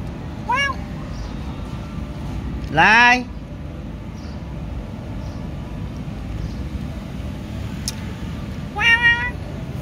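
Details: Domestic cat being fed mixed rice, giving three short falling meows; the middle one, near three seconds, is loud and drawn out, the others brief and softer, over a low rumbling background with a person talking and urging it to eat.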